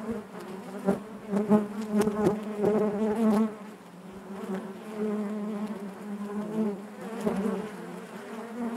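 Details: Honey bees humming in their hive, a thick low drone with many harmonics, a cluster of quick clicking taps in the first seconds, then a smoother wavering buzz that rises and falls.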